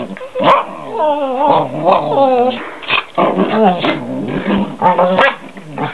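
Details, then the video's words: Two pet dogs, one half German Shepherd and one Goldendoodle, make funny noises: wavering, yodel-like whining howls that rise and fall in pitch, overlapping in bursts with short gaps, one dog sometimes growling low beneath. "My Two Crazy Dogs make Funny Noises"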